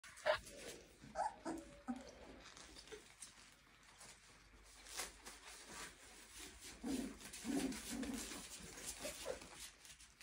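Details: Clumber Spaniel puppies of one litter, 23 days old, giving short high whines and squeaks in scattered bursts, busiest near the start and again around seven to eight seconds, over a hissy indoor background.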